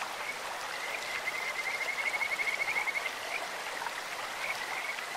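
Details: Quick, high beaded trill from a Kajika frog in a clear stream, about two seconds of rapid even pulses followed by scattered softer notes, all over steady flowing water.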